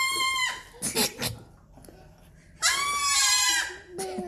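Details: Young Nigerian Dwarf goat kids at a home give two loud, harsh, screaming bleats, one short at the start and a longer, strained one about a second long near the end, with brief knocks and faint human voices between.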